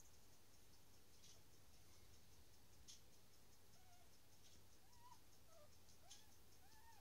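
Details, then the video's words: Newborn dachshund puppies just being born; thin, high squeaky whines sliding up and down, several in quick succession over the last three seconds, above a steady low hum and faint ticking clicks. "Taxvalpar kommer till världen"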